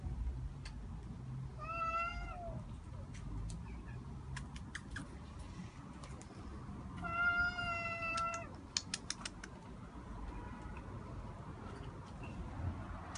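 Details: Cat in an attic giving two clear, even meows several seconds apart, with scattered clicks and taps like typing around them and a steady low hum.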